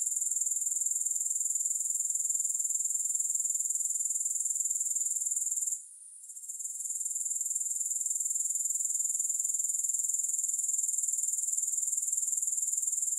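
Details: Grasshoppers with no music: an unbroken shrill high-pitched buzzing trill, pulsed roughly four times per second, with a single brief quiet gap near the middle.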